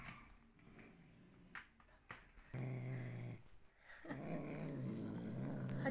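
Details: Domestic cat that dislikes being combed, growling while it is groomed: a low, rough, droning rumble in two long stretches with short gaps. Soft speech is heard before it.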